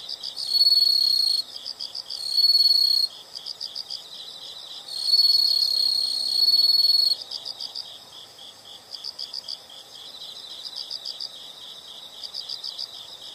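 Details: Several insects calling together in a natural soundscape, loud continuous trills in separate bursts during the first half, then only a quieter rhythmic chirping repeated about four times per second.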